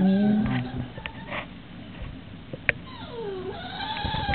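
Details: A female English Bulldog, tied up for being naughty, whines in high, wavering tones that dip and rise again, trying to be released.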